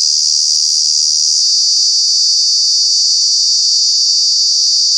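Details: Cicada calling in Kanha National Park during the summer months: a loud, unbroken high-pitched drone that holds steady throughout, with a slight shift in tone partway through and no other clear sounds.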